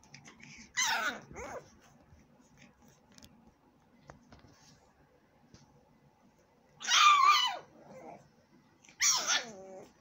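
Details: Pug puppy and a Jack Russell x Maltese at play, giving three short, high yapping barks with a growly edge, spaced far apart with a long quiet stretch between the first and second.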